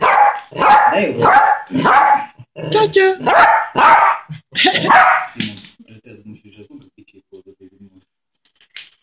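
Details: Pet Yorkshire terrier Ketty, playing together with a baby, lets out a rapid string of about nine shrill, ringing yaps over five seconds, then falls quiet apart from soft voices and small household noises.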